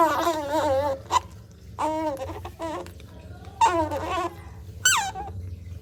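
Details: A baby otter drinking cat's milk gives loud, wavering squeaks and chirps in short bursts, with a low hum underneath.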